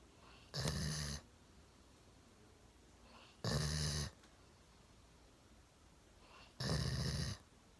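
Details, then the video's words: A one-year-old Golden Retriever snores while sound asleep sitting on a sofa with its chin resting on a table; three harsh, noisy snores about three seconds apart, each lasting half a second. "ゴールデンレトリバー いびきをかいて大爆睡"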